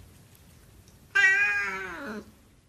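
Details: Single Siamese cat meow, loud and rich in harmonics, held for about a second with a slightly wavering, gradually falling pitch before stopping abruptly; quiet background.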